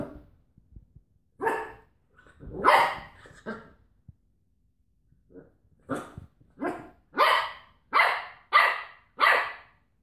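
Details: Cocker Spaniel battling a washing tablet carton, with a few scattered barks early on, a pause, then a fast run of about six loud, regular barks building toward the end.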